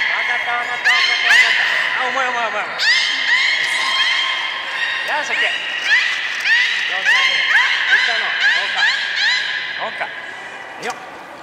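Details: Beluga at Port of Nagoya Public Aquarium, Japan, on 23 March 2019, during a feeding session with its odd way of eating fish and the play time after: dense bursts of rising and falling whistles with sharp clicks and chirps, stacked harmonics throughout.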